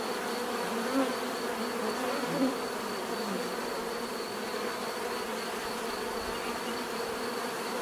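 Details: Bees in a natural setting, a dense steady buzzing hum of many insects with low droning bands and occasional brief louder passes by single bees close by.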